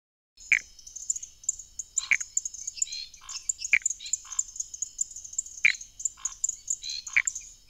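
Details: Pithecopus nordestinus frog calling: sharp, short descending notes with a few softer pulsed notes between them, spaced irregularly over several seconds, set against a constant shrill insect chorus high above.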